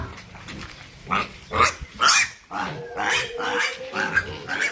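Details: A pig kept for rearing and sale gives a run of sharp, high, harmonic squeals in uneven bursts, with softer grunting and background voices.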